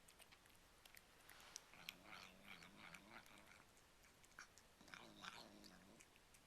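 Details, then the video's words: Pet cat unable to keep quiet while fed cat treats, producing odd noises compared to "yum yum yum." Wavering, low moaning hum rising and falling in short bursts, mixed with clicky chewing and crunching. "cat caught talking with his mouth full...Funny! (sounds like he is saying "yum yum yum")"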